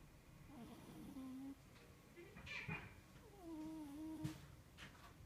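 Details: An elderly male Scottish Fold cat snoring while asleep: very quiet, uneven breaths carrying soft whistling nasal tones, a short level whine early, then a longer wavering tone, over a low steady hiss.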